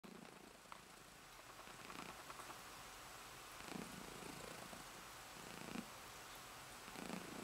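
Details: Female domestic cat purring herself to sleep indoors, a soft low continuous rumble pulsing about three to four times a second, with slightly louder breaths every couple of seconds.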